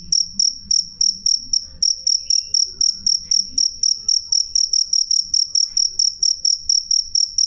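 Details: Jangkrik giving a loud, clear chirp: bright high-pitched pulses repeated evenly several times a second throughout, with a soft low hum and faint background noise.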